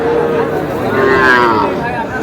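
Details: At the Aftabganj calf market on 23 June, small bull and heifer calves are for sale. A calf gives a rising, bright moo that swells in the middle, set against a steady hum of market chatter.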